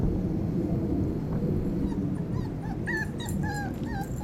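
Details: Five-week-old Tibetan Terrier puppies with their mother: after quiet low rumble, a series of short, high, slightly wavering whimpers comes roughly every half second in the last second and a half.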